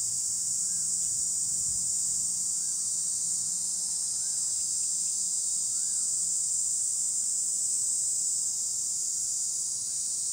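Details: Cicada chorus from trees, a continuous piercing metallic drone at constant loudness, while a faint arched chirp from another creature repeats roughly every couple of seconds underneath.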